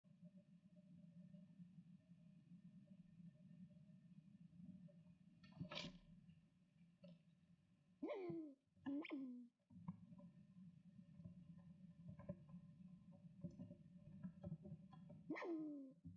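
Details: Frightened young squirrel about ten weeks old, tearing bark strips for its nest, squeaks in protest while an adult male squirrel, Flash, stands at the entrance: a few quiet, sharply falling squeaks in short bursts over a low steady hum.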